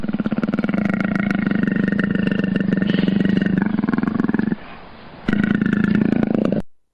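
A leopard gives a low, throaty rasp of rapid pulses for about four seconds, falls quiet briefly, then rasps again.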